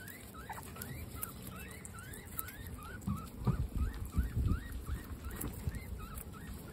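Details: Dinner time among 26 female guinea pigs: rising squeaky wheeks repeat quickly for the first half, then give way to louder crunching and rustling as the animals eat.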